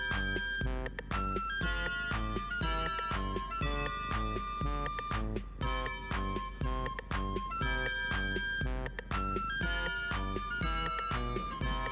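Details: Bouncy, playful game-style music plays steadily throughout, with no animal voice.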